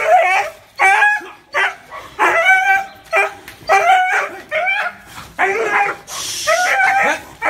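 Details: Loud, clear barking from a dog: around ten ringing barks in rapid rhythm, under a second apart, with a brief burst of hiss partway through.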